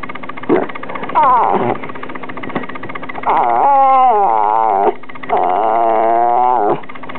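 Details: Two-year-old rat terrier Taylor talking back in a mix her owners jokingly call rat terrier and demonic: a short yelp, then long wobbling, moaning howl-whines with rich harmonics, each lasting about a second and a half, over low indoor hum.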